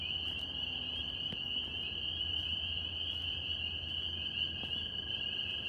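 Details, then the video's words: Northern spring peepers in New York, heard as a continuous piercing high chorus of countless overlapping peeps, with a faint low drone and a couple of soft clicks. "Tree frog sounds NY"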